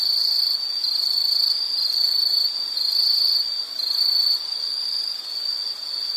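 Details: Shrill insect calling forms a steady high ringing drone, broken into uneven swells and short dips in volume roughly once a second.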